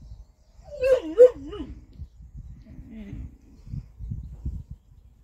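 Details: Polish Hunting Dogs, three living with a cat, reacting on seeing it: a brief pair of high, wavering whining yelps near the start, followed by faint low rustling and quiet thumps.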